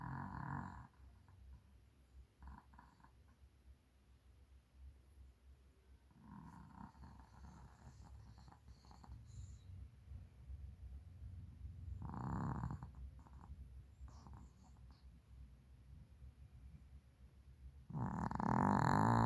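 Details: Sleeping Maltese dog named Darong snoring heavily indoors at night; slow breathy snores in broad low-pitched bursts roughly every five to six seconds, the last one loudest, with quiet pauses between.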